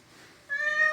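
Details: Cat fallen into a farm well and being rescued, giving a single tonal meow that starts abruptly halfway through and holds steady, after a quiet start.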